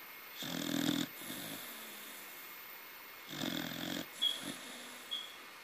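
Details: Taro, a young pet corgi, snores while sleeping; two loud rattling inhalations about three seconds apart, each trailed by a softer wheezy breath, over a low background hum.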